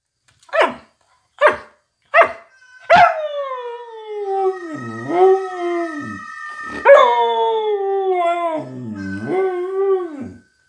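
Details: Samoyed howling to Supertramp's School playing in the room. Three short yips lead into long, sliding howls that fall and waver, repeated twice, over sustained music.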